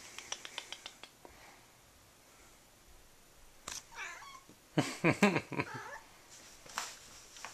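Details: Nine-month-old neutered male blue point Siamese cat indoors, frustrated and still trying to mount a smaller cat. Soft ticking sounds come first, then loud, strained, rough yowls in a cluster of broken harmonic cries near the middle, with one later cry.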